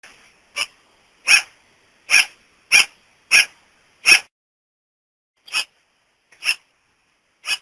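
A sugar glider gives sharp, high, yapping calls in an uneven series, with short pauses between.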